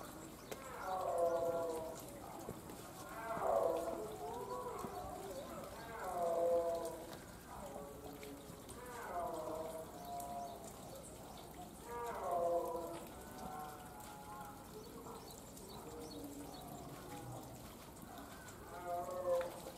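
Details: Snow leopard kept at Tama Zoological Park, Tokyo, Japan: rich, harmonic moaning calls that swell and fade, coming in uneven bouts every few seconds over a soft hissing background.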